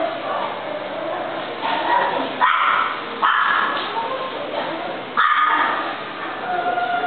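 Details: Golden retriever giving sharp barks at about 2.4, 3.3 and 5.2 seconds over a steady background of murmuring and indoor noise, with higher yips and whines between.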